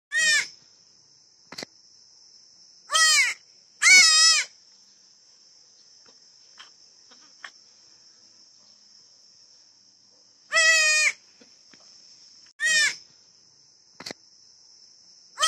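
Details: Newborn goat kid screaming: loud, harsh, wavering bleats with rich harmonics, about six bursts spaced irregularly over fifteen seconds, plus a steady high electronic whine in the background between calls.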